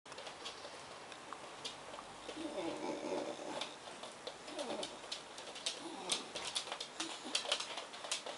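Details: Black Bedlington Terrier Suki makes funny noises indoors while greeting English bull terrier Kyle in his crate, liver Bedlington Bailey alongside. Low, wavering, coo-like moans swell midway, then fade, amid sharp clicks and rattles from claws and crate.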